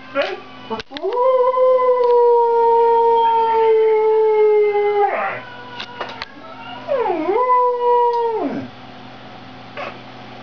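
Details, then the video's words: Sonata, a Siberian husky, sings a long steady howl held for about four seconds and slowly sinking in pitch, then after a pause a second howl that dips, climbs and sustains before dropping away; faint voice and knocks between. "siberian husky Sonata sings"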